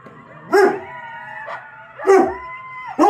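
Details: A Rottweiler watching YouTube gives three short, gruff barks spaced over a few seconds, with steady tones in the background.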